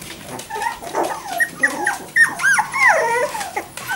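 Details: Jack Russell Terrier puppies, four weeks old and walking for only the last four days, give thin whimpers and yips, short arched cries rising and falling, several overlapping in quick succession.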